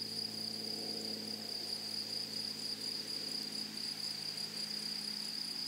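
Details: In a flowering prairie meadow, grasshoppers produce a constant shrill, high buzz while a low humming drone runs beneath, fading slightly after the first seconds.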